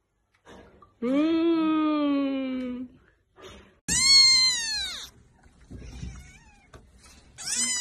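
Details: Domestic cat giving two long, clear meows: the first steady and drawn out for nearly two seconds, the second higher and falling, then a short third call beginning at the end; quiet room between calls.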